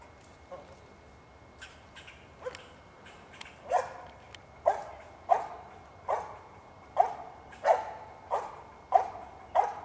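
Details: Squirrel dog named Cricket barking while treeing two squirrels at once; sharp barks that start sparse, then build into a steady string of loud barks roughly every two-thirds of a second, with a faint steady tone behind.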